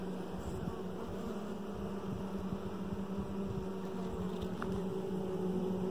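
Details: Colony hum from a hive box containing a dark queen raised the year before: an even, low buzzing drone with faint crackles and a slight swell in loudness toward the end.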